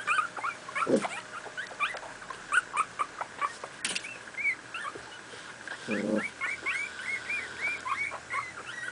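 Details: Two-week-old miniature pinscher pups, litter born 28 July 2008, playing: scattered soft squeaks and whimpers, fainter and irregular, with two dull thumps and a sharp knock amid the small cries.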